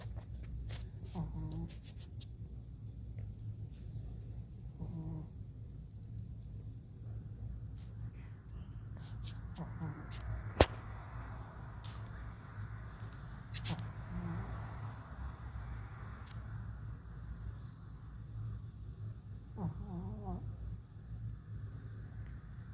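Soft, low snoring from a Shih Tzu puppy rumbles steadily, broken every few seconds by a snuffly, nasal breath. Faint background hum runs underneath, with a sharp click partway through.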